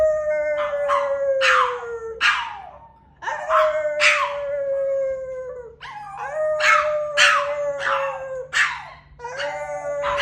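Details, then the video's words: Male pet dog in a howling session: drawn-out mid-pitched howls lasting two to three seconds each, falling slightly in pitch, overlaid with raspy yipping bursts, short pauses separating about four howls. "he looks cute when he dedicated himself to his howling session"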